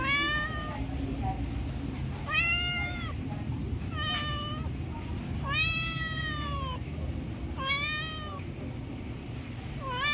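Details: Pleading meows from a hungry pet cat wanting food, repeated steadily about every one and a half seconds, drawn-out and bowed in pitch, over constant low-pitched background hum.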